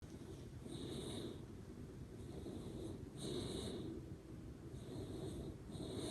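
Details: Sleeping Shiba Inu Ranmaru snoring through its nose with a soft "pū pū" sound: breathy low rasps repeated roughly every one to two seconds, each topped by a faint high whistling tone.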